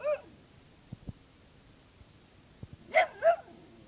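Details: Dog barking at a cicada shell: a yelp at the start, then two quick sharp barks near the end, with faint clicks and taps between.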